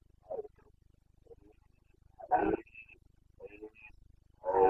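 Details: Carpathian red deer stag in the Bucovina mountains during the boncănit, the breeding season rut, 29 September 2022; several moderately faint, harmonic roaring bursts spaced irregularly, one longer groan near the middle, a thin high tonal sound between calls.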